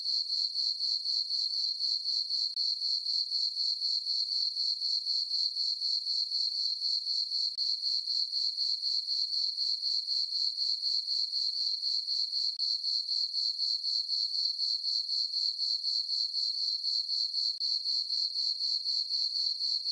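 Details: Summer night meadow on a farm under a full moon, crickets giving a continuous high-pitched chirping that pulses evenly about four times per second, unbroken throughout and with no other sounds.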